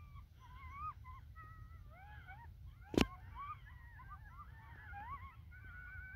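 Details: A riled-up pack of coyotes gathers a few minutes after sunset on North Table Mountain mesa near Golden, Colorado, in smoky air, with a wavering chorus of overlapping howls and high yelps.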